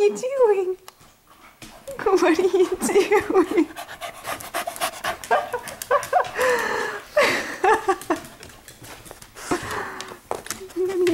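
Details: Pet dogs playing in a living room at night, one of them a white Siberian Husky mix named Snow: heavy rapid panting with wavering low whining grumbles, while a woman talks to them between bursts.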